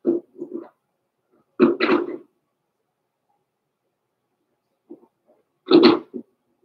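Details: Blenheim Cavalier King Charles Spaniel puppies from Pom-Pom's small litter, born November 14, 2022, in an indoor puppy pen at Christmas time. Short yips and whimpers come in clusters, then pause, then one louder sharp yelp.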